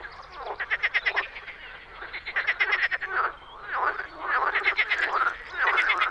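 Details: Several frogs calling in spring in a Czech pond or wetland, giving fast rattling pulsed croaks in bursts about a second long, repeated with short gaps, over steady faint background noise.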